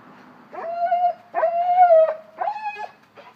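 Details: Whining from a one-year-old Cane Corso behaving like a baby: three drawn-out, tonal, nasal cries, the middle one longest at nearly a second, each holding a steady pitch before breaking off.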